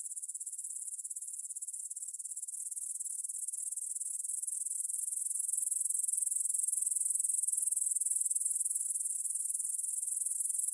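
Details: Stridulation of grasshoppers in a meadow near the Svensky monastery, Bryansk, Russia, 9pm, September 6, 2020, captured on a Tascam DR-44WL: unbroken, high-pitched buzzy shimmer of rapid pulses, gradually rising in loudness throughout.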